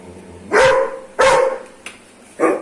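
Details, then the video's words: Aggressive Doberman barking: three loud, harsh barks about half a second to a second apart, each with a steady tonal core, the last one shorter, over low background hiss. "aggressive Doberman dog barking"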